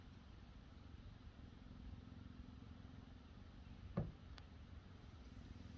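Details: Cheetahs relaxing on a Sunday at HESC, one receiving grooming with licks and an ear nibble; a steady low rumbling purr runs throughout, with a single sharp knock near the four-second mark.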